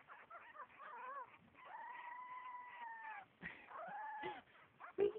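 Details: Havanese dog howling: long, level, drawn-out notes with shifting, warbling pitch, a brief break, then another sustained howl, as a person speaks encouragingly nearby.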